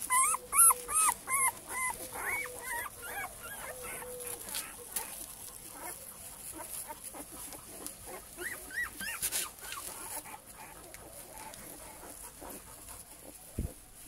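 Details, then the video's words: Male Cane Corso puppies of a single litter give loud, arching whimpers in rapid bursts at first, then the crying thins to scattered, softer whines and occasional yips. "Cane Corso male puppies litter J"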